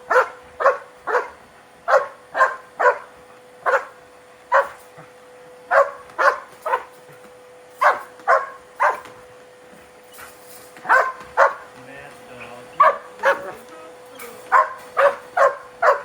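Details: German Shepherd barking in anger at the vacuum cleaner: repeated loud, abrupt barks in clusters separated by brief gaps, with a steady mechanical hum running throughout and a slightly noisier stretch near the middle.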